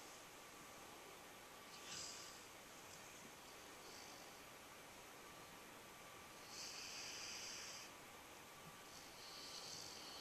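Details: A sleeping nine-month-old dog snoring: soft, breathy, hissing snores rise at about 2, 7 and 9.5 seconds over a steady low background hiss.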